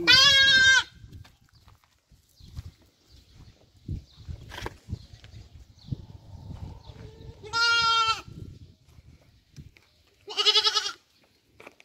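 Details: On a Qatar desert goat farm, three loud, clear, quavering bleats, each under a second, stand out against quiet background with faint rustling and scattered clicks.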